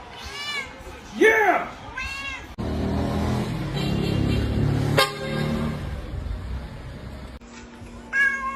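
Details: Domestic cat meowing: two arched, rising-then-falling meows open the stretch, followed by several seconds of loud rumbling broadband noise, then a brief meow at the close, with music and voices in the background.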